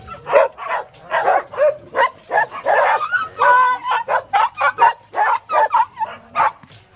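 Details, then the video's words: Several dogs at the Bark Ark dog shelter barking steadily, short sharp barks following one another quickly, some overlapping, with a few higher yelps mixed in. "THE BARK ARK DOG SHELTER"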